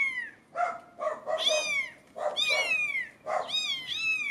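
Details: British Shorthair kittens, 17 days old, meowing indoors: overlapping high, arching mews with rich harmonics, some short and some drawn out, in quick bursts with brief pauses between them.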